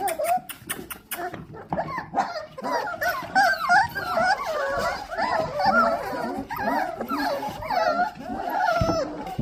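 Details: Several four-week-old Dalmatian puppies from one litter whine and yelp together while impatiently waiting for their dinner indoors, a continuous chorus of wavering, overlapping squeals.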